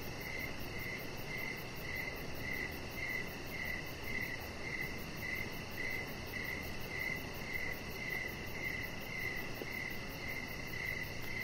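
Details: Crickets sing in the evening outside on a deck, giving regular high chirps near two per second, layered over a continuous faint high trill and low background rumble.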